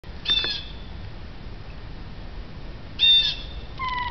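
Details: Female domestic cat watching birds outside a window, making short chirping calls: a quick bright chirp near the start, another about three seconds later, then a sustained tonal note at the end over low background hum.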